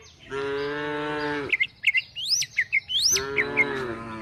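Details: Tame cows and calves herded toward the forest as they look for food. Two sustained, droning moos about a second and a half apart, with quick high bird chirps and whistles in between.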